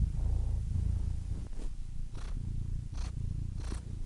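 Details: A cat's deep, rumbling purr, with low vibrating pulses and several breathy bursts as it inhales, spaced under a second apart.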